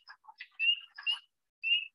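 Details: At night in spring, near a vernal pool or pond beside a road during an amphibian road-crossing survey, high clear spring peeper peeps ring out over a chorus, with the wood frogs' deeper, duck-like quacking below.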